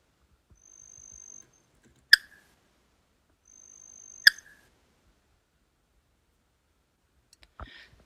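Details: A spotted marsh frog from the Melbourne area gives short, sharp tok-like clicks about two seconds apart.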